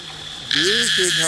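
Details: A chorus of cicadas in the trees around Bangkok, heard all over town and near the American ambassador's house, gives a steady, high, hissing drone that swells loud halfway through, while a man talks over it.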